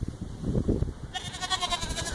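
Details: A goat in a pen on a very windy day gives a wavering, nasal bleat with a buzzy, trembling quality. It is likely the male, complaining after being separated from a doe due within a week with her first pregnancy.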